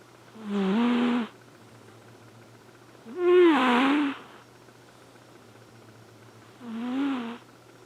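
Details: Asleep, Elfin the male Flame Point Siamese cat snores three times at uneven intervals; the middle breath is the loudest and harshest, the others softer and buzzy, all over a quiet steady background hum.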